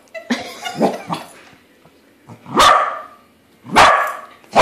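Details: Corgi barking while meeting a balloon corgi it finds is not real: a few short yips early, then two loud, broad barks about a second apart near the end, with quiet gaps between.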